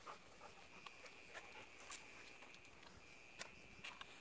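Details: A mole cricket calls at night from inside a sewer pipe by a paved road, a steady unbroken "jii" buzzing trill, likely a courtship call, with a Golden Retriever panting and snuffling close by.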